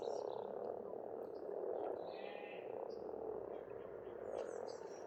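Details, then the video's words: Pond frogs in Estonia in spring keep up a dense, unbroken croaking chorus, a thick rattling murmur throughout, with faint distant bird chirps above. "Расслабляющее пение птиц и лягушек, весна, природа."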